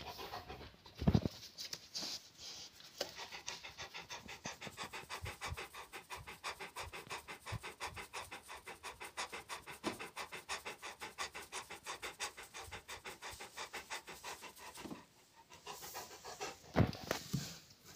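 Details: Rottweiler panting fast and very regularly for most of the recording, bracketed by louder snorting breaths and rustling at the start and finish.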